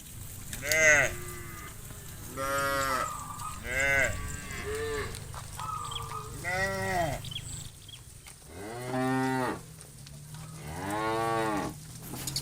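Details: Hundreds of tame cows head back to the farm pen at dusk, led by a bull. A quick run of short, arching moos from different animals gives way to longer, fuller calls.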